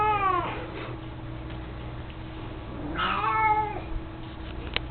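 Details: Mico, a mostly blind 18-year-old cat playing with his toy mouse, ends one meow at the start and then gives a fuller, higher meow about three seconds later, with small clicks and a low background hum.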